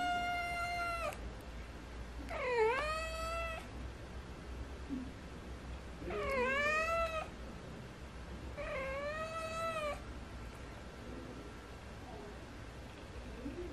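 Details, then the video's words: Munchkin cat begging its owner for treats like a baby, giving four drawn-out, whiny meows spaced about two to three seconds apart, each bending down then up in pitch, over a low indoor hum. "집사에게 찾아와 간식달라고 아기처럼 보채는 먼치킨고양이"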